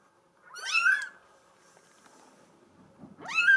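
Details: Female Bengal kitten with a solid mink coat mewing twice, about two and a half seconds apart; each thin, high call bends up and down, with a faint click and hum indoors between them.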